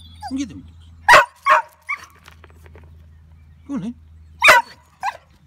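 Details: A female English Springer Spaniel, always crazy for thrown sticks, stones and balls, barks sharply in short, uneven explosive bursts, with a person's voice in between, at a waterside spot where the bank is about 2 feet above the water.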